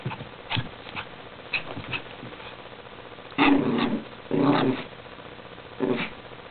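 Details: A hyperactive male Chihuahua, pet dog, gives three short, harsh yapping bursts of about half a second each near mid-clip, preceded by fainter clicks and rustling handling sounds.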